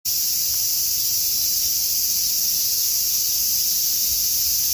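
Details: Cicadas on a summer afternoon in Tokyo with a typhoon on the way: a dense, unbroken high-pitched hissing drone that holds steady and loud throughout, with no pauses and only faint low rumble beneath.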